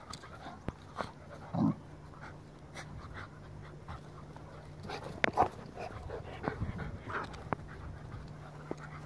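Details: Two dogs at play, Farfel a Goldendoodle and his cousin Utley a Bernese Mountain Dog; short breathy huffs and scuffles, with a brief low grumbling sound near the start, over a constant low hum.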